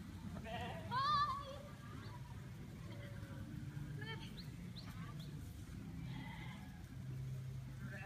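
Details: Sheep chasing a person, giving a loud wavering bleat near the start followed by shorter fainter bleats, with rustling, footsteps and low background rumble throughout.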